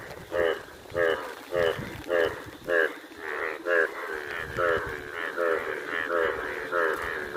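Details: Indian bullfrogs, yellow in colour, calling during rain. Short nasal, pulsed croaks come in a steady series, almost two each second, some louder and nearer than others, over a constant hiss of falling rain.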